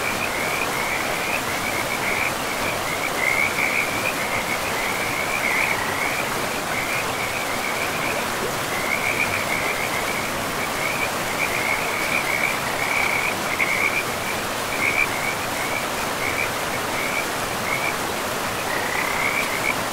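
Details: Frogs calling by a river in a pristine forest, a steady chorus of short trilled notes repeated throughout at a fairly high pitch, over constant rushing water.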